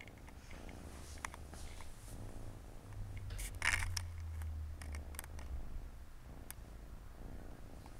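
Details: Siamese cats, a family of four kittens resting by their mother on a Saturday afternoon, indoors; a low, steady purr rumbles underneath, broken by sharp clicks and a brief rustling burst of handling noise midway.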